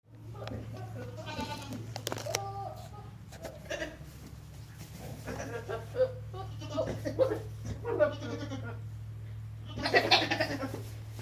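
Several quavering, nasal goat bleats rise and fall in bursts, some rough and strained, others higher and more drawn out. A constant low mechanical hum runs underneath throughout.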